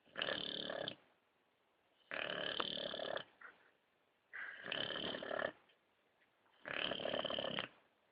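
An Old English Bulldog snores loudly, each rasping breath lasting about a second with short pauses between.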